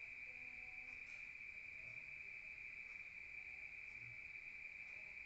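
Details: Crickets at night in a rural setting, heard from indoors: a continuous, even high-pitched trill that never pauses, with faint low background hum beneath.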